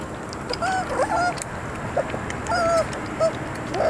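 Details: Three-week-old puppies giving a few short squeaky whines with upward and downward bends, in scattered bursts over faint background noise.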